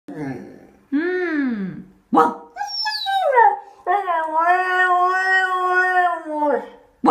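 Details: Husky puppy talking in a toilet: a run of whining, yodel-like howls that swoop up and down in pitch, then a long, steady, wavering note lasting about three seconds, with short breaks between phrases.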